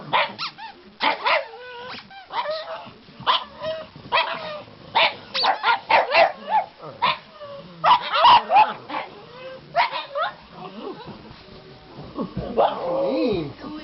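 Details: Three pugs, including Cosmo the black pug, answer a squeezed squeaky toy with rapid, irregular barks and yips, about three or four per second. A drawn-out whining howl closes the sequence.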